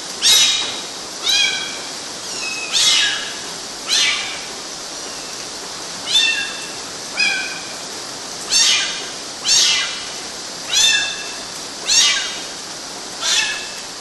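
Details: Kittens climbing on mosquito nets in Galati, Romania, June 2012, giving high, short meows about every one to two seconds, eleven calls in a steady series, each a bright harmonic note with a falling tail, over faint background hiss.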